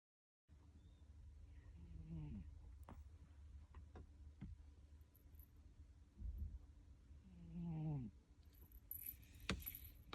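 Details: A sleeping cat snoring in a quiet room: two low, buzzy, rasping breaths several seconds apart, each with stacked harmonics that sweep up in pitch, plus faint clicks and soft rustling between them.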